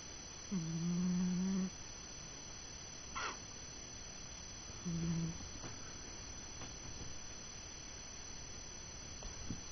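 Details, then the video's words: Old cat Graham asleep and snoring at home, giving one drawn-out low hum of about a second, then a shorter snore a few seconds later, with faint clicks and soft room noise in between. "MY CAT GRAHAM SNORING"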